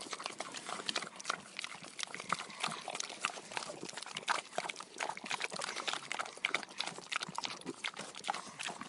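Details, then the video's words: Feeding pigs make steady munching and slurping noises, with busy overlapping crackles and wet smacks through the whole stretch at an even level. "Pigs Eating Sound Effect"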